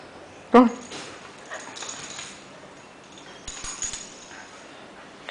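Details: Sean, a four-year-old Lakeland Terrier, playing with his Christmas penguin toy; one short, sharp bark near the start, followed by quiet rustling and faint handling noises.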